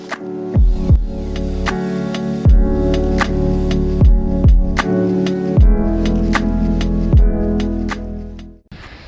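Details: Rhythmic music fills the recording, built on a deep sustained bass with sharp percussive hits. No animal voices can be picked out anywhere.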